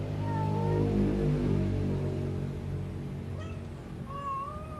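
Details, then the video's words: Domestic cat making an unusual sound that puzzles its owner: a drawn-out tonal meow near the start, then a rising cry toward the end, set against a loud, constant low hum. "my fushikit 😱😱😱 making sound"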